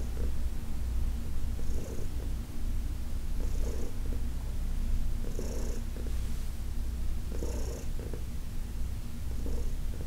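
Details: Massage session with Heidi, a senior cat adopted from the Humane Society of New York City; a strong low purr runs throughout, marked by soft breathy pulses near every two seconds.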